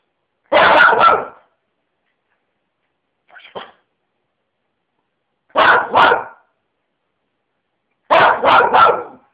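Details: Lenny, a pet dog, barking in short bursts of two or three loud, harsh woofs separated by silences of a few seconds, with one fainter, softer sound in between; no other noise.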